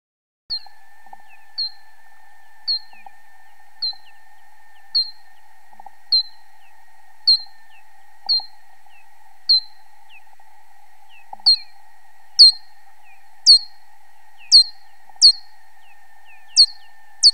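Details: Bat ultrasonic calls slowed down by a time-expansion bat detector: short, steeply falling chirps, about one per second, growing stronger and sharper.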